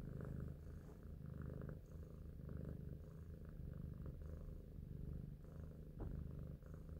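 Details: Big Shoes, a clever pet cat, purring as it thinks; continuous low rumble with rhythmic swells from breathing, a small dip near six seconds, otherwise quiet surroundings.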